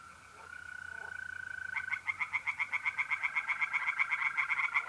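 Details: Singing tree frogs in a pond in North-East Italy in mid-April, at night. Quick, evenly spaced pulses start and continue to the end, loud and rhythmic, above the unbroken high trill of mole crickets.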